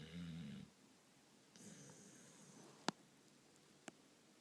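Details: Mason the dog, knocked out asleep indoors, gives one short, low rasping snore at the start, then quiet breathing with two sharp clicks.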